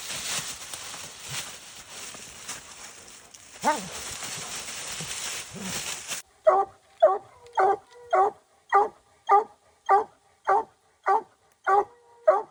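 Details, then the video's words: Dog on a raccoon hunt: after about six seconds of steady broadband hiss with faint low sounds, loud, evenly spaced barks begin, roughly two per second, each short and strong with a mid-pitched core. "COON HUNTING WITH DOGS"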